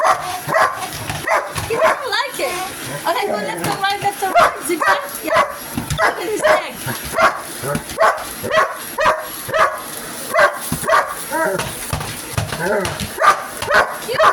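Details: Pet dog attacking a vacuum cleaner with a long string of quick, excited barks and yelps, about two per second, some rising and wavering, with a person's voice mixed in and a steady high machine whine.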